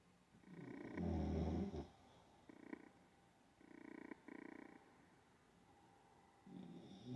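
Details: Olde English Bulldogge asleep and snoring: a deep, loud rumbling snore, then shorter buzzy rasping breaths a second or so apart, ending in another low rattle.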